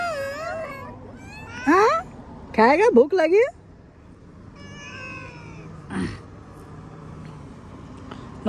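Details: A pet cat gives a drawn-out wavering meow, then a woman speaks in short bursts in Hindi to coax it. A fainter, higher meow follows, then quiet room noise.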